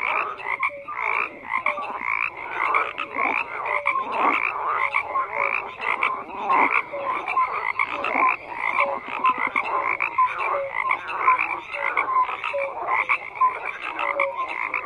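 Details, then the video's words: Steady chorus of numerous frogs, pulsed croaks and short piping notes overlapping continuously, loudness rising and falling slightly but never dropping to silence. "FROGS CROAKING"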